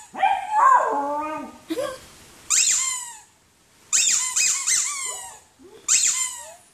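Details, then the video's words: Poodle from a barking and howling compilation gives a drawn-out whine that rises and dips, then a run of shrill, yappy barks in quick clusters with brief pauses between them. "POODLE BARKING - POODLE HOWLING AND BARKING COMPILATION"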